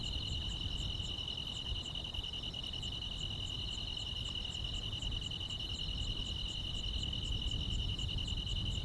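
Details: Chorus of grass insects on a calm rural summer night, an unbroken high trill layered with quick, even chirps about every half second, with a low murmur of background noise beneath.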